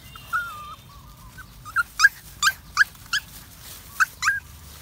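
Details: A puppy, happy while walking in the woods, starts with a long, wavering high whimper, then breaks into a run of about eight short, bright yips spaced roughly every third of a second.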